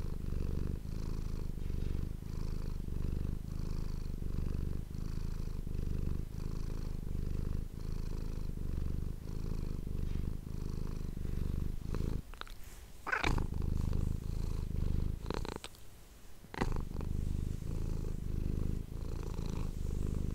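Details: Domestic cat purring into an ASMR microphone, a low throbbing rumble in regular breath pulses, interrupted midway by several loud rustling and handling clicks before the steady purr resumes.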